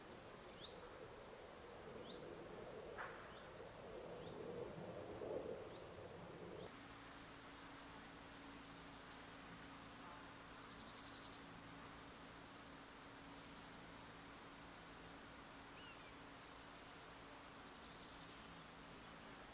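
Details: Male meadow grasshopper at Wassenaar, 16 July 2014, with a second male nearby: short buzzy bursts of rapid ticking, each about a second long, come at irregular intervals of one to three seconds. A steady low hum and soft rustling run beneath.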